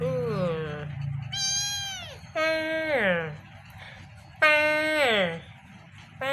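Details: Two kittens meowing repeatedly: four or five loud, high meows, each holding level and then dropping at the end, spaced one to two seconds apart, with quieter sounds between.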